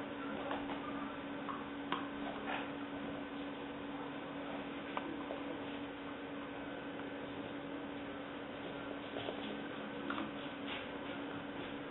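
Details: A quiet indoor room with a steady low electrical hum and a few faint ticks and taps, with no animal voice heard.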